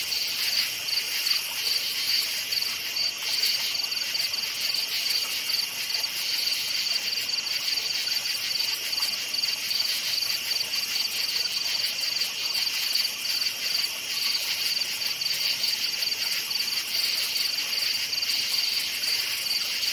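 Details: Crickets chirping at night in a forest: a dense, steady high-pitched pulsing trill that runs unbroken throughout, with no other clear sounds.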